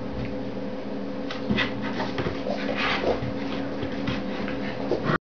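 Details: Several puppies playing together on a mattress inside a box, letting out brief high squeaks and whimpers scattered through the clip over a constant low hum and soft rustling from their movement.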